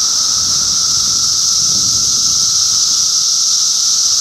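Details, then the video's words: Chorus of cicadas in Middlesex County, New Jersey, in June 2013: a dense, continuous high-pitched hissing drone that holds steady without pause, with a fainter lower whine running beneath it. "Cicada Symphony"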